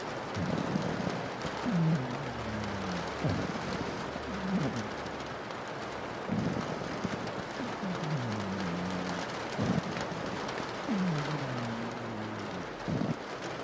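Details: Sleeping pug snoring beneath steady rain on a window: low, nasal, downward-sliding snores come roughly every one and a half to two seconds, each a short wheezy glide, over a constant wash of rainfall.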